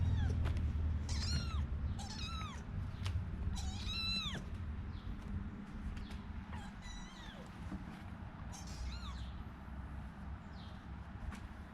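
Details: Four kittens meowing: thin, high, arching mews, several in quick succession then scattered, over a steady low humming background.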